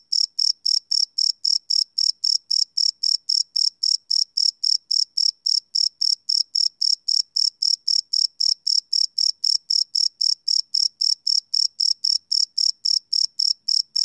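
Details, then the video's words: Crickets at night, field-recorded with a Sony PCM D100 without loops; a long run of bright, shrill chirps repeating steadily around 220 times a minute, nothing else audible. "Cricket Chirp Sound - Cricket Sounds at Night"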